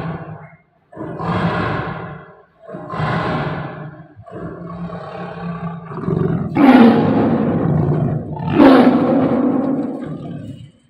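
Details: Tame Bengal tiger roaring in anger: a series of rough, breathy roaring bursts roughly every one and a half seconds, the last two louder and harsher, over faint background music.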